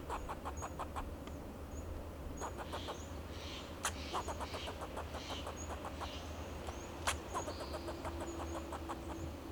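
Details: In a Monterey pine of Del Monte Forest, California, a fox squirrel repeats alarm calls in defence of itself and its territory: strings of quick clipped chucks coming in rhythmic series, under a constant low rumble, with faint high bird chirps.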